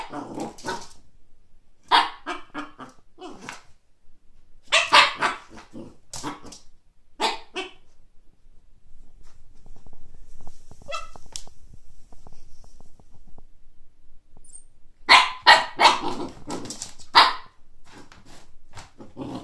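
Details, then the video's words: Siberian husky puppy barking at a frisbee it sees for the first time: bursts of sharp, harsh barks and yips in clusters around 0–1, 2–3, 5–7.5 and 15–17.5 seconds, with quieter rustling and a few faint whines between. "husky puppy vs frisbee"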